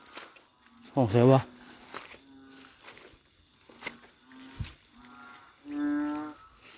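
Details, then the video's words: Narrow-mouthed frogs call loudly at a creek in Thailand during light rain while people search with lights. There is a loud deep bellowing call that rises and falls, then a steadier drawn-out moan, with a low hum and a few knocks. "เสียงดังลั่นห้วย ออกหาส่องอึ่งกัน"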